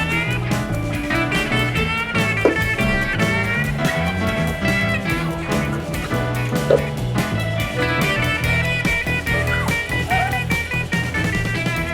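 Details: Bluesy guitar-driven music with steady drums and bass fills the whole stretch, and no animal sound stands out.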